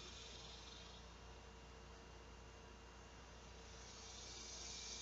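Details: Around midday on a hot summer afternoon, 2 August 2016, large male cicadas call to attract mates. Their high buzzing drone holds steady, then grows louder and brighter in the final second.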